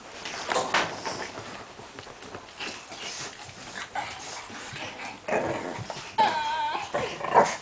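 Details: Shih Tzu puppies, chocolate (liver) and white, born 19 April 2010, give soft scattered whimpers and squeaks, ending in a few thin, wavering high whines over steady background hiss.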